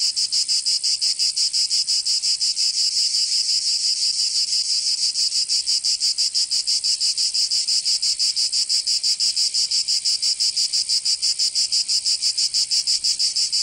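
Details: Cicadas singing in summer in Provence, southern France: a dense, loud high-pitched buzzing chorus, steadily pulsing about three times a second, with no other sounds.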